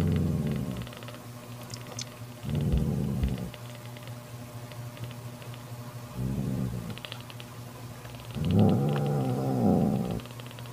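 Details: Guarding her kitten from jealous sister Kofi, mother cat Mocha growls in short low bursts, the last one rising into a louder, harsher, more tonal wail lasting about two seconds, with soft tapping noises between.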